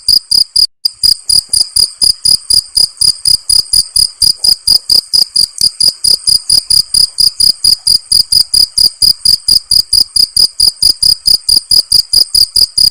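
A cricket chirps in a steady, high, shrill pulse that repeats quickly and evenly without pause.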